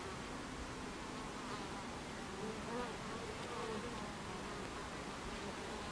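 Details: Many Buckfast bees buzz at the hive entrance on 26 July 2013 at 14:30, a constant low drone overlaid with brief rising and falling whines of single bees passing close by.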